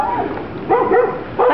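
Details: A passing dog, taken for a golden retriever, showing interest in pet birds on an outdoor walk in sunny Florida; two short harmonic barks or yelps about 0.7 seconds apart, with nearby human voices.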